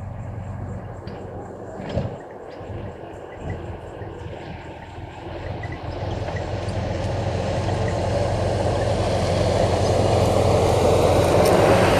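A low engine rumble swells steadily into loud broadband vehicle noise, with no animal calls standing out.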